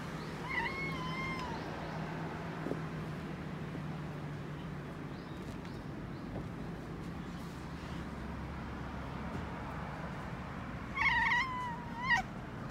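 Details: Pet cats in Okinawa chattering toward birds, a large black male and a calico kitten answering: two short bursts of soft, chirpy, slightly wavering mews near the start and again near the end, with a long stretch of low steady hum between.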